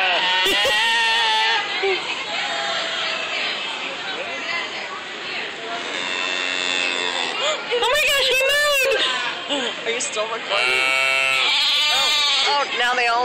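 Sheep bleat in wavering, quavering bursts while a person talks over them.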